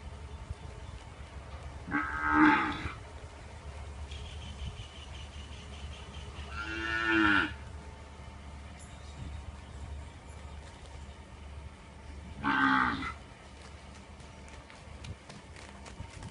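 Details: Punganur cow mooing: three drawn-out, harmonic-rich moos spaced roughly five seconds apart, each rising to a loud peak then fading, over a steady low background hum.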